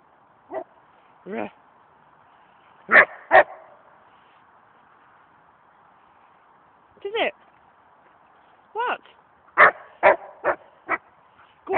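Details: An Australian Shepherd argues with a tree in a run of sharp, harmonic barks, some paired, some in quick clusters of three to five, with a long quiet gap in the middle over a low steady hum.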